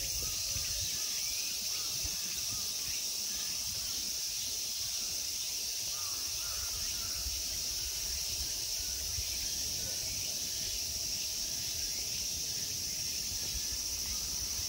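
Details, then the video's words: A summer insect chorus in the temple park at Ikegami Honmonji, Tokyo, Japan, makes a steady, piercing high hiss for the whole stretch, with only faint chirps and low background noise underneath. "Summer insect sounds."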